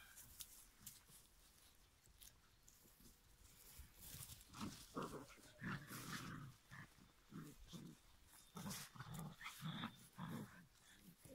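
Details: Litter of giant schnauzer puppies aged five weeks: repeated throaty growling and grunting bursts, about two per second in an uneven rhythm, with rustling and hiss in the background.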